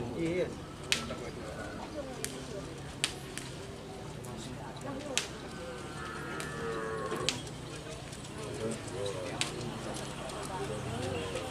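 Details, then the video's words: Karapan sapi cattle at racing practice on the Asemanis field in Pamekasan, Madura, Indonesia, with an agitated bull: a drawn-out lowing moo rises through a noisy crowd, sharp claps and snaps punctuating throughout. "Karapan Sapi Besar Mengamuk Saat Latihan Di Lap Asemanis Pamekasan"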